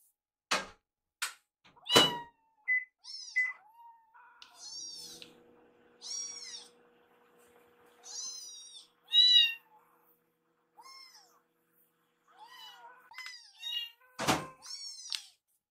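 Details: Baby rescue kittens in foster care wait together in front of a microwave for their meal. Their squeaky meows come in uneven bursts, mixed with sharp knocks and thuds and a faint steady hum.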